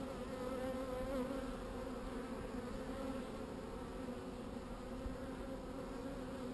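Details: Calm honey bees droning around an opened hive while it is worked; a steady, even hum with stacked tonal bands that wavers slightly in pitch near the start and stays constant throughout.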